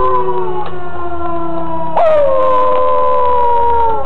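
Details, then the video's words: A dog howling at a tornado siren: a steady wailing tone held throughout, with a long howl swelling in at two seconds and then sliding slowly downward, the siren drone continuing underneath. "Dog howling at the tornado siren"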